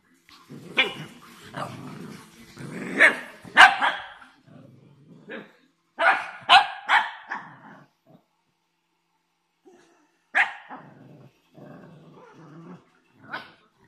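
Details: A playing Shih Tzu gives sharp, irregular barks mixed with low growly rumbles.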